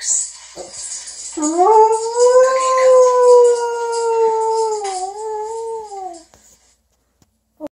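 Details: Domestic Doberman singing to its owners in a mournful howl: one long sustained tonal note that rises slightly, holds, dips briefly and then fades out, with faint hiss behind.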